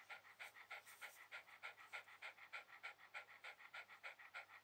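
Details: A Shiba Inu relaxing on a towel pants quickly and evenly, about three soft, breathy rasps per second, in a quiet indoor setting.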